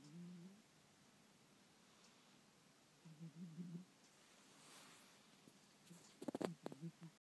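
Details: A dozing pet cat gives low, soft snores at the start and again a few seconds later, followed by a brief burst of rustling or shuffling near the end.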